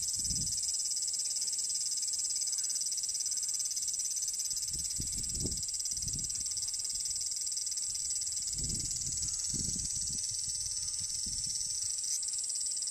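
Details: A chorus of abura-zemi cicadas in a Japanese summer gives a continuous, shrill, hissing "jin jin jin" buzz, likened to frying oil, that never pauses. A few soft low thumps break in beneath the drone.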